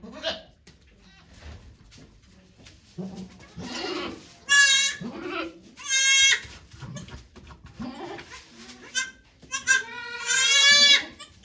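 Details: At the birth of two kids to goat Okayu at Yoshigake farm, 3 May 2023, volunteers chat quietly at first. Then come several loud, quavering goat bleats, short and long, spaced about a second apart.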